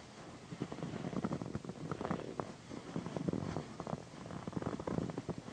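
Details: Female house cat named Pandy purring during a massage, a low steady rumble beneath frequent crackling and rustling from hands moving over fabric.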